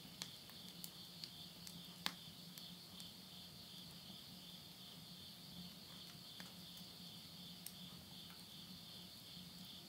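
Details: Night insect chorus recorded at a countryside house in Tottori, Japan, at midnight in September 2020. A continuous high buzzing trill runs unbroken, with scattered crackles from a wood stove fire and a faint low drone beneath.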